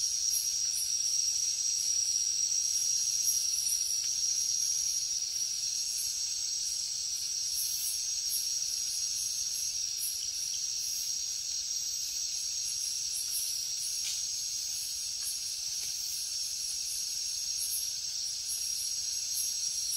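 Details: Crickets and other insects at night in the jungle: a dense, steady high-pitched shrill drone with a faster pulsing buzz above it, continuous throughout with no other voices.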